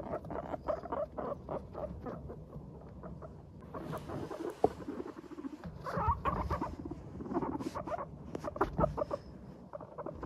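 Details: Good-humoured pet guinea pigs, Teddy and Abyssinian, chattering 'pupupu' as they stroll: dense, uneven bursts of short pulsed notes from more than one animal, barely pausing across the stretch.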